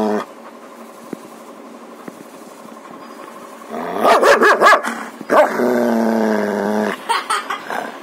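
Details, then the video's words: Three-year-old German Shepherd in an angry, sudden quick reaction, recorded in close-up: a burst of harsh, snapping barks and snarls midway, then a steady droning hum, with a few more short snaps near the end. "ultimate close up POV of German Shepherd, inside mouth, angry agile reaction"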